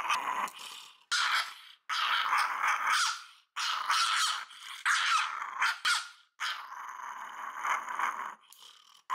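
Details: A small female Shiba Inu named Puri, three years old, from Fukuoka, Japan, protests during a nail clipping. She makes repeated throaty growls with a tonal, whiny ring, in roughly six bursts broken by short pauses.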